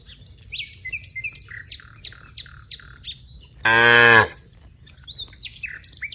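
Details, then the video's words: Cows from a herd of dozens in a wide rice field. Bird chirps fill the air, then one loud, brief moo cuts in midway before the chirping resumes. "various sounds of Moo cows"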